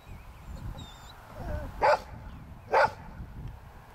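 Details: Old English Sheepdog herding sheep by barking at them: two loud, sharp barks about a second apart, with faint sheep bleats and low background rumble.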